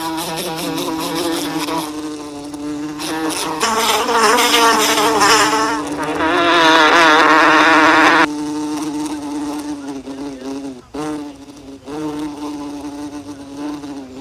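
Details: Bee buzzing close by in a steady, low drone that swells louder for a few seconds in the middle, then fades and briefly dips before resuming.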